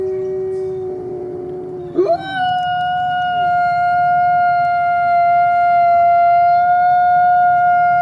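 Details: Coyote howling: a low held tone for two seconds, then an abrupt leap to a higher, steady, pure note sustained for about six seconds with clear overtones.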